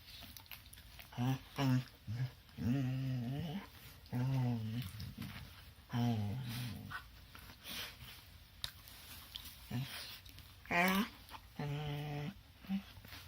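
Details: Two dogs wrestling indoors, as they do every morning, making playful growling and grumbling noises in repeated low bursts, some rising into whining yelps near the end, with rustling between bouts.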